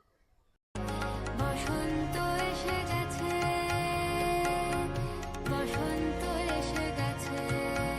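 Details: Dense instrumental music with sustained drones and layered melodic lines plays throughout after a brief quiet start, with no animal sounds.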